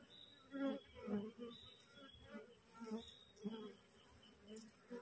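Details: Wild honey bee swarm, just split from its colony, assembling on a cassava plant near the caged queen. Rich droning buzz with rapid pulses as bees fly in close, rising and falling about once a second.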